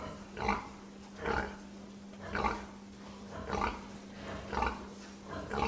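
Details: Pig grunting steadily, short throaty oinks repeated roughly once a second, six or seven in a row, over a constant low electrical hum.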